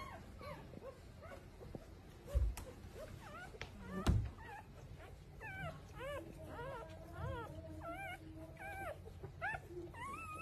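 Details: Puppies whimpering in a steady run of short, high, wavering squeaks that rise and fall, several every few seconds, over a low background rumble with a couple of soft thumps.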